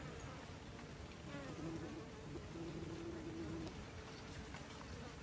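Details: Bees kept by beekeepers, a steady, dense droning buzz with a brighter hum partway through and a slightly rising, even loudness across five seconds.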